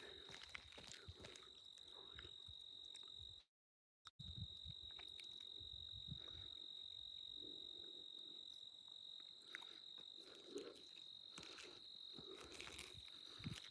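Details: Mormon crickets keep up a steady, high, ringing trill through the evening air along a hiking trail where grasshoppers are also plentiful.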